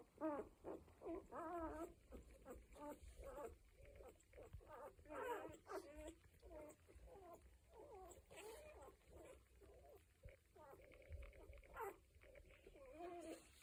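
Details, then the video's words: One-week-old Cocker Spaniel puppies whine and whimper almost without pause, many thin, wobbling cries overlapping in a busy chorus of squeals throughout. "Litter 7: One Week Old, Making Noises"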